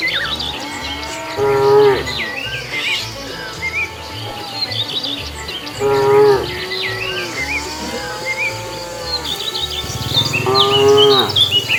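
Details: Cows wandering along a road looking for food give three drawn-out moos, roughly every four to five seconds, with softer lowing between them. Chirping birds are heard throughout, over a steady low background hum.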